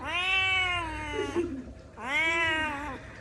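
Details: ['Indoor kitten crying out from hunger while waiting to be fed: two long, clear meows, each more than a second, with a short pause between them. Brief human speech is heard nearby.']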